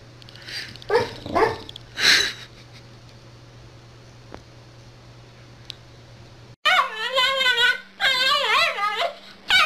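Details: Dog from a barking and growling compilation gives a few short sharp yips, falls quiet over a low hum, then lets out long wavering whining cries.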